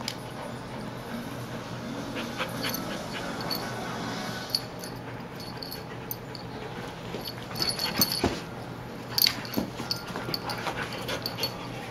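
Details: A border collie and Sasha, a young Siberian husky puppy, play-wrestling; rough huffing breaths and airy panting, with short scuffles and a few sharp clicks of movement, busier toward the end.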